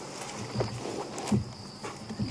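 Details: An African buffalo grazing about 3 ft away at dusk on a sunset drive in Djuma, Kruger area, tears and crunches grass and breathes out through its nose, with faint crickets at night.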